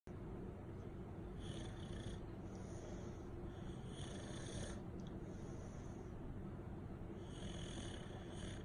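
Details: English Bulldog (Canis familiaris), snore.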